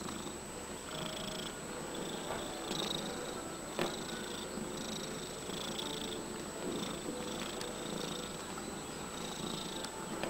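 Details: Cat purring continuously while kneading, a low even rumble with faint regular rustles from its paws and a steady high background hum.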